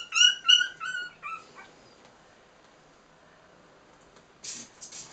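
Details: Cairn Terrier puppies, three weeks old, playing indoors: a quick run of three or four high squeaky whimpers in the first second and a half, then near silence with a brief rustle near the end.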